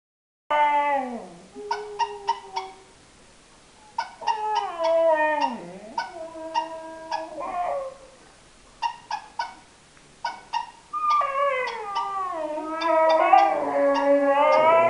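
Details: Husky named Daisy alternating long descending howls with quick stuttering bursts of short yips, ending in a rising, wavering, talkative howl; sounds carry an indoor, small-room quality.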